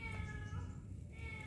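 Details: Kitten crying for its absent mother, still unfed; a long steady harmonic meow lasting over a second, then another starting at the end, over low rumbling background.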